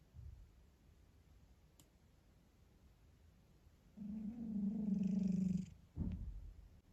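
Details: House cat at home, with Vasya and Tisha named as the household's cats: after a quiet stretch comes a low, even, buzzing drone of nearly two seconds, followed by a brief rustle in a small room.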